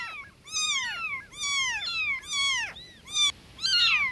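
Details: Newborn kittens meowing loudly for mama cat: long, harmonic, high cries that arch and fall, about five calls in four seconds, partly overlapping.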